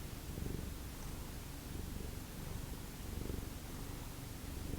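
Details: A house cat from a former feral cat family purring in a deep, even rumble that pulses louder roughly every second and a half as it breathes in and out.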